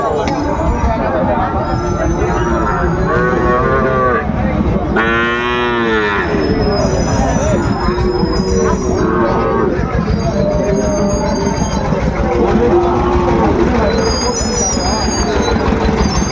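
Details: Sahiwal bull calves being traded at the start of Ambari cattle market in Dinajpur on 14 March 2025. Busy, crowded ground: one long, harmonic-rich moo swells and falls midway, with fainter lowing, chatter and a steady low rumble throughout.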